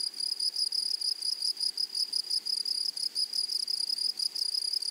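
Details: In a flowering prairie meadow, grasshoppers keep up a thin, high-pitched pulsing chirr, the loudness rising and dipping about once a second. No other animals or voices stand out against the insect chorus.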